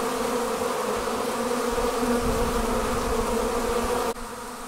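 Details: Honey bee swarm departing its hive, a dense, steady, droning hum with layered low tones that holds evenly for about four seconds, then drops abruptly in loudness near the end.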